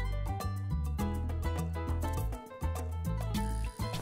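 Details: Upbeat Latin-style music with bass, piano chords and percussion plays throughout, and no animal sounds are heard.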